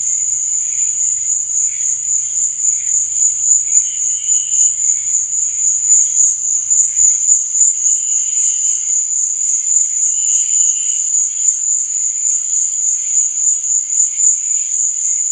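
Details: Crickets chirping at night: a dense, steady, very high-pitched trill that pulses rapidly and never breaks, with faint lower chirps flickering underneath and a brief low rumble in the first seconds.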